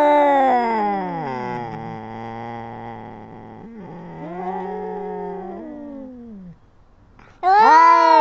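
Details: Arguing kittens: a sinking, drawn-out moaning yowl slides down into a low rumbling growl, a softer second wail follows, then a sudden loud high yowl after a short silence.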